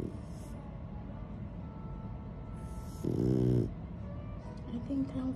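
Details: A male French Bulldog gives a brief, moaning whine protesting his owner leaving for the gym.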